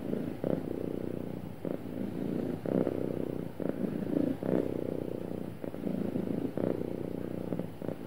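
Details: Contented, happy cat giving a smooth, continuous low rumble, pulsing with its breathing roughly every second, the rhythm broken by short pauses between breaths in a quiet setting.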